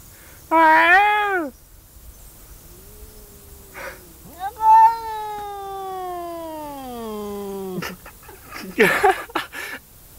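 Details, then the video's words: Cat crying with a short high wavering meow followed by a long, slowly falling drawn-out wail of several seconds, then a brief scuffling noise; faint human voices around. "Cat is crying"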